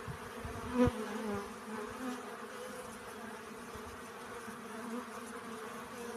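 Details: Steady humming buzz of bees collecting pollen. A brief louder buzz near the start comes from an insect passing close, then the drone stays even and soft.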